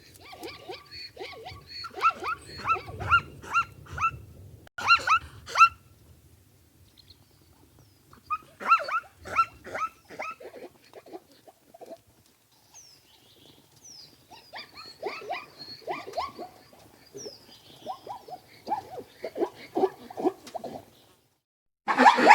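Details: Zebra giving repeated yelping, barking calls in several uneven bouts, some fainter and rapid, with a low rumbling noise early on and a sudden loud burst at the end.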